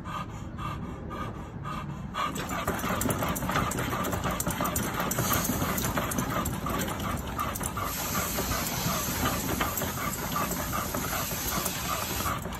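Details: Seven-month-old American Pit Bull Terrier puppy Vasco breathing heavily during exercise, fast regular pants close to three per second, half buried in a continuous broadband hiss.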